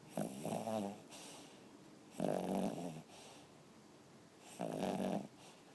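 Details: A pet dog asleep indoors, snoring in three rasping, throaty snores roughly every two seconds, each lasting under a second, with quiet breathing between them.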